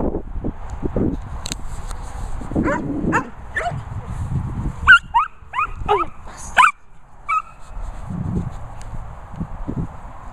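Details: German Shepherds Sophy and Toby at a Worcestershire countryside kennels with Ted their mascot; short bursts of sharp, bending yelps and whimpers cluster mid-clip between softer shuffling and low thumping sounds.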